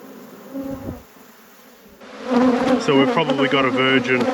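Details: Honey bees at a productive apiary hive. A quiet opening with faint humming gives way after two seconds to an abrupt, loud, buzzing roar with layered, fluctuating tones as the hive is worked.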